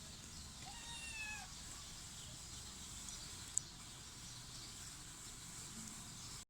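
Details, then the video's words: Baby kitten utters one clear, high-pitched meow that dips slightly in pitch early on, then steady hiss and low rumble continue, broken by one sharp click. "Cute baby kitten meows"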